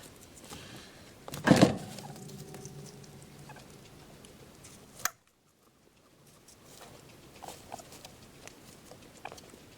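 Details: Percy, a pet guinea pig, gives one sharp, noisy burst near the start, a short sneeze-like snort with a fading low tail, then a quieter click and soft rustling through the rest.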